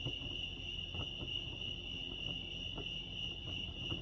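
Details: Crickets chirping at Lake Arrowhead, California: a steady high pulsing trill held without a break, with faint low rumbling and soft ticking sounds underneath.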